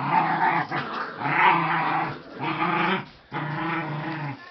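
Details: A dog playing with a rope lets out continuous gravelly growls in four drawn-out bursts separated by short breaths, harsh and low with slight pitch wavering.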